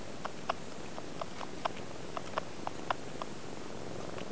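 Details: Young cat Zoonie nursing from mother Peko, sucking audibly: sharp moist clicks come about every quarter to half second, a dozen in four seconds, above a faint low hum.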